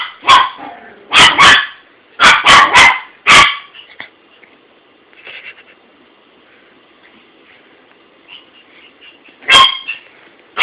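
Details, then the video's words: Pet dog barking at a toy, a burst of five or six quick sharp barks in the first few seconds, then quiet with faint rustles before one last bark. "Barking at his Toy"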